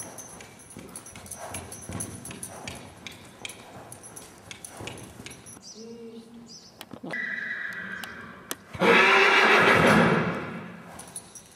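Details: Black Trakehner yearling filly filmed for a sale, handled by a person; a loud, harsh, quavering whinny bursts out near the end, preceded by hoof clatter, rustling and a person speaking German encouragement.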